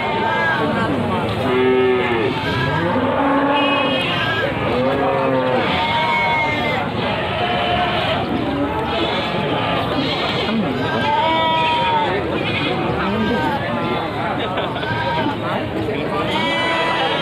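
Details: Newly arrived cattle at Pasar Wage Panggul market, Trenggalek, Indonesia, calling repeatedly: short overlapping moos and bellows, rising and falling, several each few seconds, amid people talking and general market bustle.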